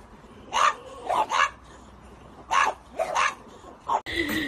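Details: Pet French Bulldog producing short sharp barks in pairs, followed at the end by an abrupt different noise.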